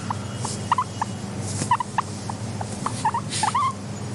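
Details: Soft wheeking from a contented pet guinea pig: a sparse handful of short upward-sweeping squeaks, some doubled, spaced irregularly over a steady low hum.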